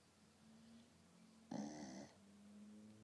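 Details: Sleeping dog Poppy passed out on a couch; a single harsh, buzzy snore of about half a second stands out against a steady low indoor hum.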